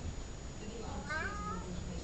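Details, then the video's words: Softer meow from Columbus, a talkative domestic cat, rising then wavering downward, over low room hum and a person's quiet voice saying the cat's name. "Talkative cat"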